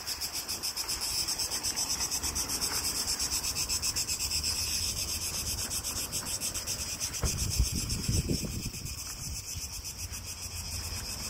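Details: Really loud cicadas in Greece on a hot day: a dense, continuous rasping buzz, high-pitched and pulsing rapidly about four times a second, with a low rumble of handling or wind surfacing near the eighth second.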